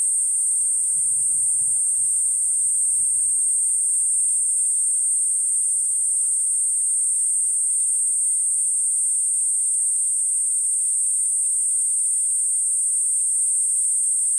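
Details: Steady piercing buzz of the Kuroiwa cicada (Platypleura kuroiwae), sustained without pause; low rumbling knocks in the first few seconds, then near silence beneath the song.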